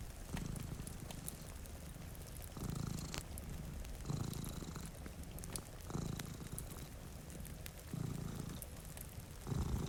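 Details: Two cats sleep by a rainy window while one purrs strongly, a deep throbbing rumble pulsing with each breath about every one and a half seconds, over soft rain and occasional crackles from a cozy fire.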